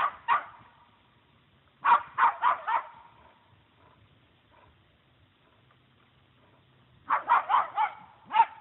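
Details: Small female puggle dog facing down a deer that holds its ground, giving sharp barks in clusters of three to five, separated by quiet pauses of several seconds, with a final lone bark.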